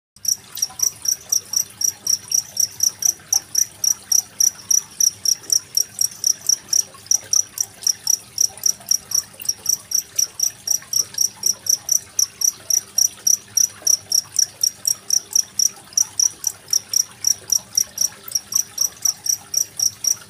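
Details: Cricket chirping steadily over trickling water, recorded 25 February 2023 as a tutor track for training competition songbirds such as magpie-robins; short bright chirps repeat about four times a second, evenly paced, with a soft water murmur beneath.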